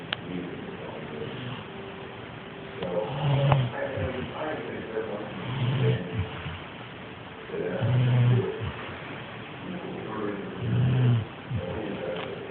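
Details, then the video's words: Female yellow Labrador Retriever snoring in her sleep: deep, rasping, low-pitched snores that come in slow, regular bursts about every two to three seconds, with quieter breathing between them. "Snoring yellow lab"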